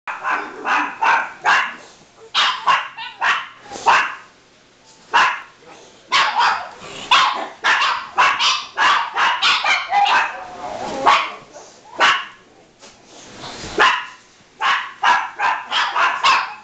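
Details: Several pet dogs running around and barking for no reason, a dense burst of sharp barks repeated almost continuously with short gaps, overlapping voices from more than one dog.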